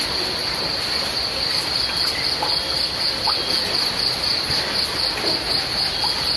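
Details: Crickets chirp through steady rain: a high, fast, pulsing trill held at one pitch, constant throughout, over dense broadband rain hiss with occasional soft drips.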